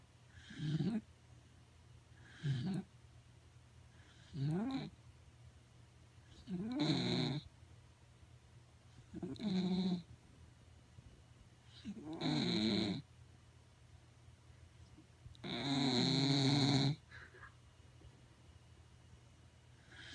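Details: Pet Corgi sleeping soundly and snoring heavily, a long series of low rasping, fluttering snores every two seconds or so, growing longer and louder toward the end, in a quiet room.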